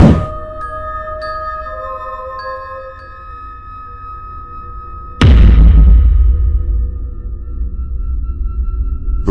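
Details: Chiming mallet-percussion music rings out, and a heavy thud midway starts a louder, booming section with no animal voice.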